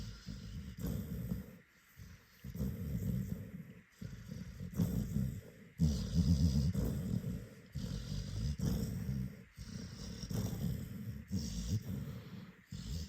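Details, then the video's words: Rory, a Scottish Terrier, snoozing after a long day on his birthday; deep, rumbling snores come in rhythmic bursts about every second, rising and falling with each breath, with short quiet gaps between. "Scottie Dog Rory snoring"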